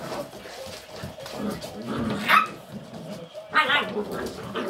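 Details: Puppies of a dog named Amelia, with their mother, give short high whimpers and yelps, sharpest around the middle and near the end, over a low background rumble and faint household noise.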